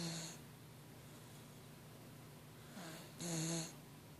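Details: Kirby, a pet dog, snoring loudly enough to wake someone; a steady low rumbling breath, with two louder harmonic snorts near the end and a brief one at the start, in a quiet indoor room.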